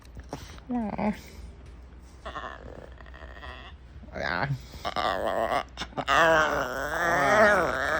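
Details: Female puppy calling for attention with short grunting whines that build into a long, loud, wavering moan, its pitch wobbling up and down toward the end.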